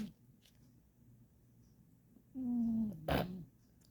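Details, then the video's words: Indoors, a pet cat gives one low, buzzy snoring breath lasting under a second, followed by a brief sharp knock or rustle, against quiet room background. "My cat was Snoring"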